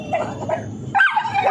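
A pit bull gives a single sharp bark after a moment of low rumbling.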